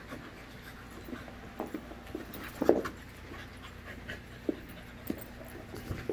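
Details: Playing five-month-old puppies in a group produce scattered gruff grunts and growls, one stronger rasping growl in the middle, and quick panting between bursts, over a faint continuous room hum.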